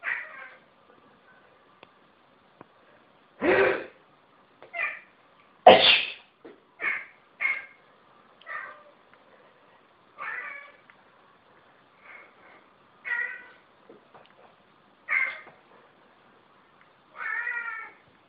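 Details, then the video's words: House cat reacting to human sneezes, treating them as rude; two loud sneezes among a long series of short, clipped meows repeated every second or two, some with a rising, bending tone, in a quiet room. "Cat meows at sneezes"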